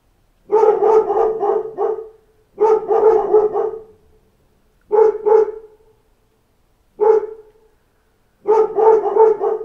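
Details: A pack of dogs barking at knocks at the door, rapid bursts of loud barks in five clusters separated by short silences, voices overlapping.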